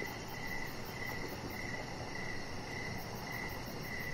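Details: Crickets at evening by a deck with decoration lights, about seven short chirps in four seconds over a constant hiss, and a quick thin pulsing trill overhead.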